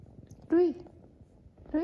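A Siamese cat gives a short, rising-then-falling meow, followed by the start of a second.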